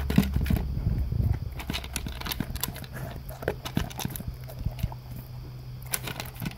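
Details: Male English cream golden retriever crunching dry kibble at breakfast from a blue slow-feeder bowl with concentric ridges; quick irregular crunches about three per second, with a low droning hum fading out after the first second.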